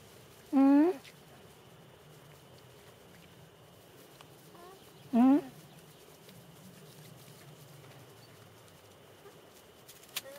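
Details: Alpaca at a farm beside Gasthaus Reiterbauer near Bad Gastein, Austria, on the way to Hohe Tauern National Park: two short, loud, harmonic calls about four and a half seconds apart, each with a sharp rising end. Quiet outdoor background between them.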